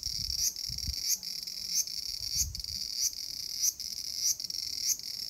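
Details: A cicada in a small garden on 5 August 2020 drones in a continuous high, hissing buzz, broken by brief clicks about every two-thirds of a second.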